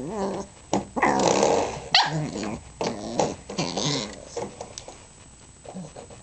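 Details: A three-month-old female Pembroke Welsh Corgi puppy, teething, plays with a spring doorstop indoors, giving rough growls and yappy grumbles in uneven bursts, with rattling twangs of the doorstop.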